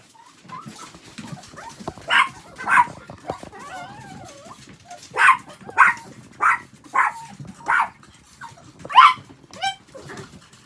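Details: Pet Chihuahua at home while its toilet pad is being changed: sharp, high yaps come in short bursts, mostly in pairs or small runs a second or so apart, with a wavering whine slipping in between.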